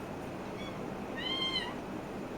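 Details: A single short meow from a kitten at play, slightly rising then falling at the end, over a quiet indoor background.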